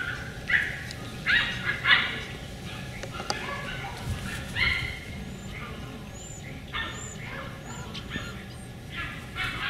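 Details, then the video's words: Beagle puppies of the other litter, heard through a window on 4/27/20, giving a string of short, squealing yelps and whines at irregular intervals, with brief high bird chirps in the middle stretch. "Beagle Puppies Part 2"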